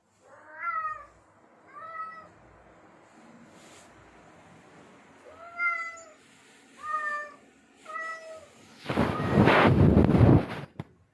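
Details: Male domestic cat in heat calling to attract females: five drawn-out, rising-then-falling meows with clear harmonics, spaced about a second or more apart, followed by a loud burst of broadband noise near the end.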